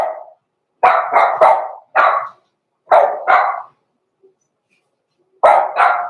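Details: Blenheim Cavalier King Charles Spaniel puppies, Roman and Blue, born November 14, 2022, in the Red Barn Cavaliers puppy pen at Christmastime, barking in quick bursts of two or three sharp, mid-pitched barks separated by short silences.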